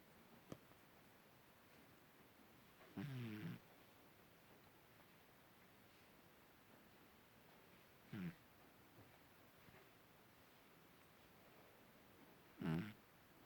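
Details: Cat asleep and snoring quietly, short rough low breaths recurring roughly every five seconds, three clear snores separated by near silence and faint background hiss.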